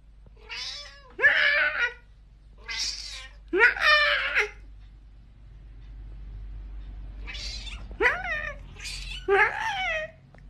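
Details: Domestic cat meowing over and over indoors: seven high, clear, slightly rising and falling meows in pairs and singles, with quiet gaps between them and a low hum underneath.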